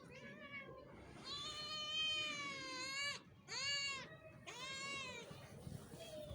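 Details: Cats in Pakistan meowing: a faint short meow, then a long drawn-out meow that sags slightly in pitch, followed by two shorter falling meows about a second apart, over a steady hiss.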